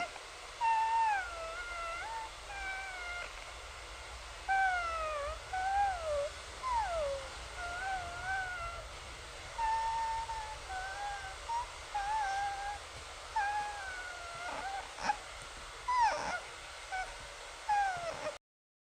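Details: Cat mewing like a kitten: about a dozen thin, high mews that bend up and down in pitch, some drawn out, scattered over eighteen seconds with short gaps, against a steady soft hiss.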